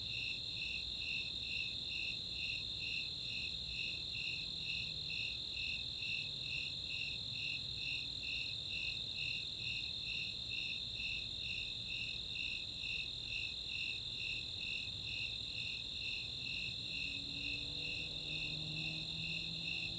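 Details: Summer night chorus of Snowy Tree Crickets and Four-spotted Tree Crickets in open space at Chautauqua, Boulder, Colorado: steady high pulsed chirps about twice per second over a continuous trill, with faint high ticks.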